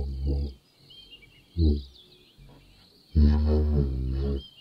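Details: Giraffe giving low hums: a short burst, a brief deep pulse, then a longer sustained drone rich in harmonics. A thin, high chirping chorus runs underneath.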